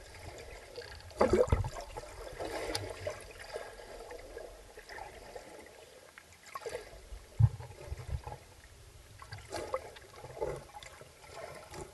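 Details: Trickling, gurgling water with a few louder splashes and no animal calls. A low background rumble runs throughout.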